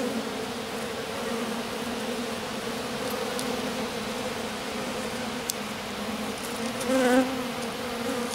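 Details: Small group of honey bees gathered on their queen in grass after swarming; steady droning hum with a sharp click midway and a louder close buzz of a passing bee near the end.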